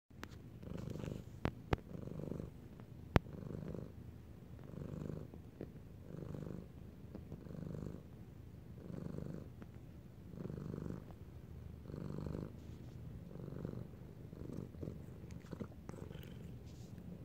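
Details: Domestic cat purring up close indoors, a low rumbling purr that swells and fades in steady cycles about every second and a half, with a few soft sharp clicks over a quiet room background.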